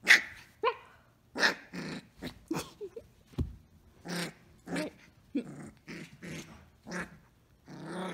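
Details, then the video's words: Samoyed puppy named Orange Girl playing and mock-attacking indoors, giving a string of short rough growls and yappy barks, bursts spaced roughly every half second to second, with brief pauses between. "Samoyed Puppy attacks"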